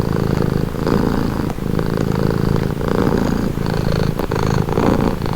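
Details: Relaxing purr of a house cat heard up close: a rough, low buzzing rumble pulsing in about five breath cycles, each swell followed by a short softer pause.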